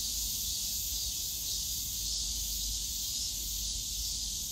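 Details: Unbroken, shrill cicada buzzing fills a bamboo grove at Yongsan Family Park in summer, a bright steady wash of sound over low background park rumble.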